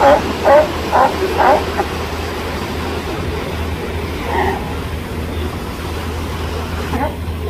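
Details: Female California sea lions resting on a tiny ocean islet on a bright sunny day: three quick barks open the scene, a lone bark follows later, over a steady low rumble of surf and wind.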